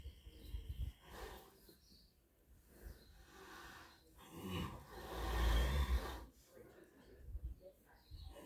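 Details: Daikin, a horse, snoring away in sleep after a hard day eating in the field: slow, rough, breathy low rumbles come in uneven bursts, swelling to one long, loud snore midway before quieter breaths.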